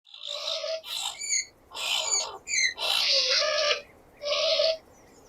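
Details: Skunk squealing in a series of short bursts, each a clear tonal squeal with strong overtones layered over harsher noisy hiss, separated by brief pauses, in stereo-processed audio.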